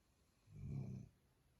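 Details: Pet dog snoring while asleep indoors: one low, rumbling snore swells and fades over about half a second in an otherwise quiet room.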